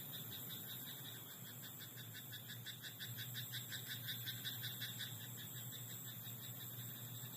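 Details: Frogs calling at night in a rice paddy, a rapid series of clicky pulsed croaks, roughly three each second, building in the middle of the recording and easing off near the end, with a constant low drone beneath.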